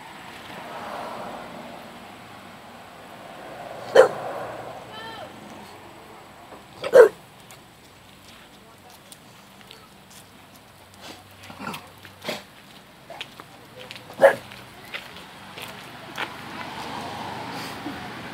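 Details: Bailey, a Bulldog, barking in sharp single barks spaced several seconds apart, with softer scattered clicks and knocks between, indoor background hum, and a person speaking afterward.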